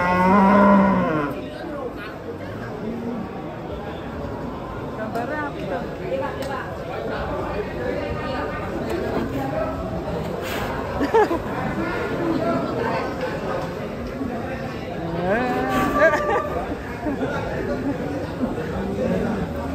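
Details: Giant cattle being unloaded from a truck in 2024: a short harmonic moo at the start, then a busy mix of human chatter and handling noise throughout.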